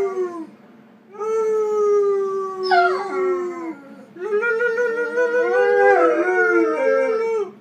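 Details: A 14-month-old male Weimaraner gives drawn-out, wavering, harmonic-rich howls that sag at the end; a brief yelp splits the first before a second long quavering howl.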